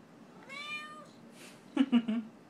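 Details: Hungry Siamese mix house cat at dinnertime gives a clear rising-then-level meow of about half a second, followed by a person's quick murmured syllables and a few short knocks.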